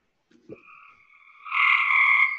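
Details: Cope's gray tree frog in Georgia, its call likened to a trilly belch: a faint click, then a steady buzzy trill building sharply louder in the last second.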